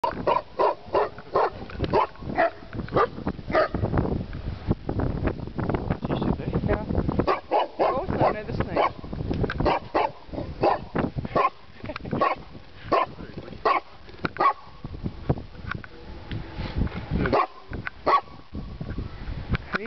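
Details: A St. Bernard at the Great St Bernard Pass on 22 July 2008 gives deep, repeated barks in quick bursts, with human voices mixed in.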